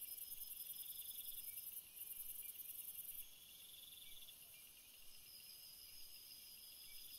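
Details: Crickets calling at night: several layered high, pulsing trills hold steady pitches, while a shrill buzzing band at the very top runs loud for about three seconds before dropping away, leaving a softer continuous chorus.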